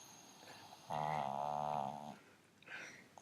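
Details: Pug asleep on the sofa letting out one drawn-out, buzzy, vibrating snore lasting about a second, followed by quiet breathing and a faint rustle, in a quiet room.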